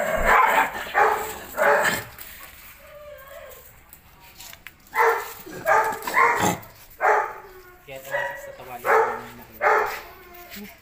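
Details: Belgian Malinois, possibly aggressive, barking in rough bursts that pause for a short whine and human speech, then resume as a steady string of harsh barks.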